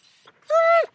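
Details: German Shepherd panting and whining: soft breathy pants at the start, then one sustained high whine of about a third of a second, steady in pitch and rich in harmonics, dropping at the end.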